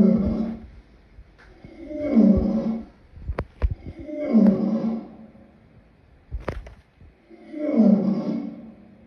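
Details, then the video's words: Lion producing a series of deep, hoarse grunting roars roughly every two seconds, four main pulses with short clicks and knocks between them. "Lion sounds"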